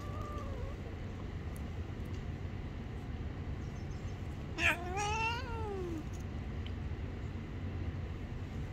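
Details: Angry street cat that bites a hand when touched: one short harmonic meow, falling then rising and falling again, over steady low traffic rumble and background hiss.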